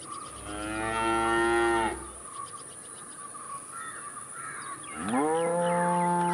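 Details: Cow lowing twice: a long moo over the first two seconds, quiet background with faint bird-like chirps, then a second moo that swoops up sharply and holds steady to the end.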